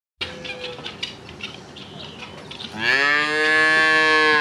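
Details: Cattle mooing: after a stretch of soft background rustling and clicks, one loud, drawn-out moo starts near the end and holds steady with rich harmonics until the end.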